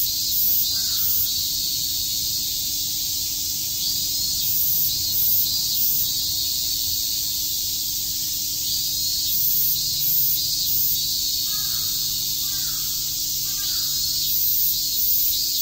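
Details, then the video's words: Summer cicadas at Shakujii Park, Tokyo, keep up a loud high buzzing chorus that swells in brief pulses, while a few short, lower bird calls break in near the start and again toward the end. "Cicada chirps"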